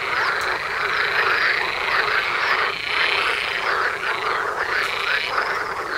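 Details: Frog chorus in front of a house door in spring mating season, a dense overlapping run of rattling, trilled croaks with bright higher notes, steady and continuous throughout.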